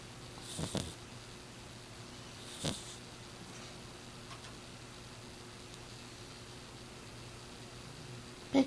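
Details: Six-year-old female short-haired exotic Persian cat named Miss Piggy snoring loudly while asleep indoors; two short breathy, noisy snore bursts about two seconds apart over a low steady room hum, ending with a sharp click.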